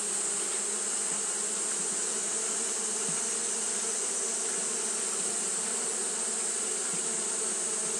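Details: Japanese honey bees fanning continuously on a hot day: a steady, dense hum with low drone bands and a strong high hiss, unbroken and even throughout.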